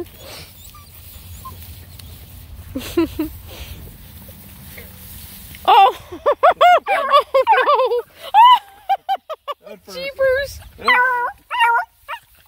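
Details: Nine Black and Tan Coonhound puppies on a hike around a pond; after a quiet, low-rumbling start, a burst of high, arched yelps and yips tumbles out in quick, uneven succession, with a few fainter calls earlier.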